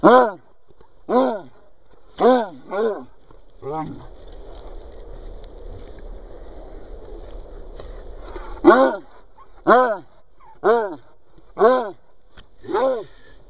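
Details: Benjie, a Cocker Spaniel, insisting the ball be thrown, gives repeated loud harmonic barks roughly once a second, a pause filled with low rustling noise in the middle, then another run of five or six barks.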